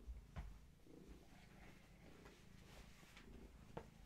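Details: Gaia, a long-haired tabby mother cat with her kittens at bedtime, purring softly in a low rhythmic rumble with faint breathing pulses, a few clicks and knocks over a quiet indoor hiss.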